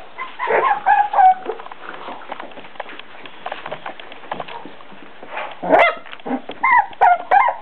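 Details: Four-week-old Beagle puppies give high, tonal whines and squeaks in short clustered bursts, some sliding downward, with quieter stretches of rustling and tapping between the louder calls.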